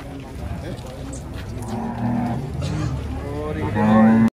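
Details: Emaciated cattle, reduced almost to skin and bone, give a short sustained low moo at the end, after a stretch of human voices and faint vehicle noise.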